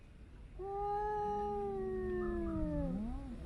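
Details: A domestic cat gives a long, drawn-out yowl, a throaty moan sliding slowly downward. Yowling may signal distress, pain or feeling unwell, and adult cats yowl at one another, usually during the breeding season.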